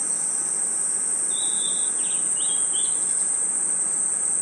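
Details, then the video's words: Constant high shrill trilling of crickets and insects in a forest at night, overlaid by one short whistled bird-like phrase of several quick slurred notes. "Crickets & Insects Chirping Sounds"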